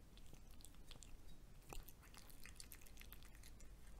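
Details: A cat eating fried egg in a small room: dense rapid chewing clicks and wet smacks, one louder bite midway, with a low background rumble.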